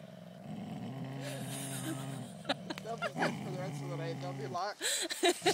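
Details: A Golden Mountain Dog growls during a tug-of-war game with another dog. A steady, low, rough growl holds for about four seconds, then gives way to a woman's voice and a few sharp knocks.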